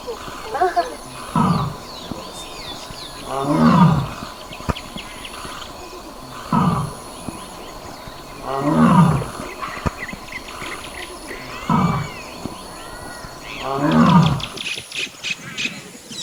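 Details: Wild Royal Bengal tiger in Kaziranga's Burapahar range, Assam, roaring while a sambar deer mother comforts her young. Six low, coarse moaning roars come every two to three seconds, with a high insect drone and faint bird notes behind.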